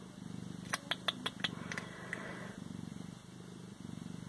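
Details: {'caption': 'Close, rhythmic purring from a Siamese cat, fast pulses forming a low rumble, broken in the first half by a quick series of sharp clicking taps.'}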